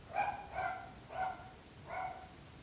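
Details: Dog barking at neighbours' homes: four clipped, bright barks, the first two close together, then two more at wider gaps, with a soft rumble underneath.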